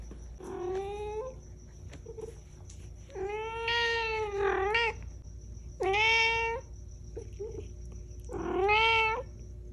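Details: Talkative pet cat Cash 'talks' in four drawn-out, harmonic meows, each about a second long and roughly two seconds apart, some rising then falling at the end, over a faint constant high hum.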